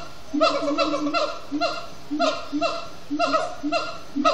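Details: Evening chanting of siamang gibbons at Disney's Animal Kingdom: loud, honking, laugh-like notes with bending harmonics, delivered in spaced bursts roughly every half second.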